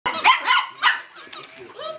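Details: Miniature Schnauzer puppy playing with a Tickle Me Elmo toy gives three quick, high yappy barks, followed by softer sliding toy-voice sounds.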